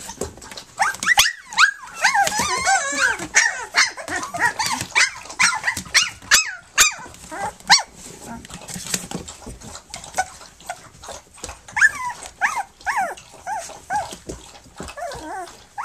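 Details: Flute's pups at three weeks old, nursing and at play, fill the early seconds with overlapping high whines and squeals, then give sporadic yelps amid soft bumping and movement noise.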